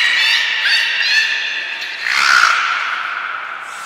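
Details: Beluga in a training session at Port of Nagoya Public Aquarium, 20 February 2021, featuring Mirai and Niko; buzzy harmonic squawks at the start, then a swelling, falling nasal call that trails off.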